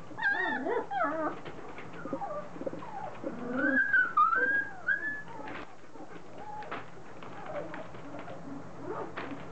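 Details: Three-week-old Standard Poodle puppies, a litter starting to get vocal, moving about, mouthing each other and beginning to play; high squeaky whimpers and whines, rising and falling, overlapping in quick bursts with soft rustling.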